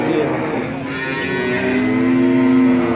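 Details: Male calves, around three to five months old, in a cattle trading yard in Grabag, Magelang regency, Indonesia. A sustained harmonic moo holds steady for about a second near the end, with men's voices and background bustle.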